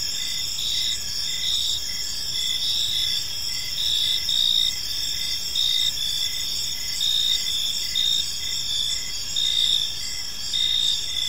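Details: Crickets chirping in a peaceful park as evening unfolds; a dense, steady high-pitched trill with pulsed chirps layered above, several insects calling at once over a soft low background hiss.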